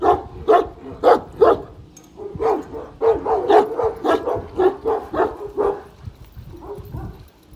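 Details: A one-year-old Kangal confronts a giant dog with strong, throaty barks, about one each second, in an uneven series that tapers to softer grumbles at the end.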